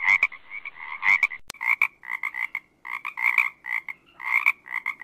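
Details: Frog chorus of quick, nasal croaks repeated in uneven bursts about once a second, several callers overlapping, against a quiet background.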